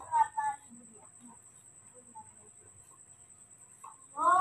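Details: Newborn baby monkey, cared for at home, screaming and calling for milk: shrill, harmonic cries that rise and fall at the start and again at the end, with quiet Indonesian speech in between.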